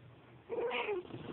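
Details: A domestic cat (Felis catus) gives a drawn-out, moaning growl with a slight downward bend at a small puppy nearby that it outweighs by about 10 pounds: a warning growl.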